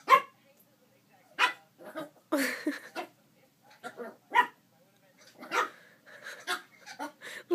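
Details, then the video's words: Little poodle puppy reacting to its reflection with a string of short, sharp, high-pitched barks and yips at irregular intervals, with some human voice mixed in. "Adorable poodle puppy barks at its reflection"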